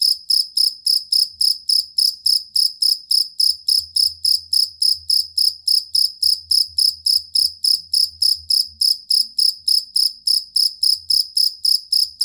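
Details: Long, stable run of shrill cricket chirps, from a collar or fighting cricket used to train songbirds, pulsing about three to four times a second without pause over a faint low rumble.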